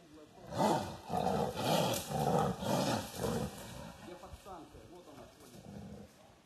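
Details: Wild Siberian tiger roaring in forest undergrowth beneath mushroom pickers who had climbed a tree, near Sokolovka village, Lazovsky district, Primorsky Krai, Russia; a series of deep, rasping pulsed roars about every half second, fading toward the end.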